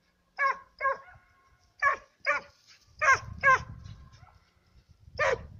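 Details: Two Serbian hounds give ringing, harmonic bays in quick pairs while working a trail of fox and roe deer.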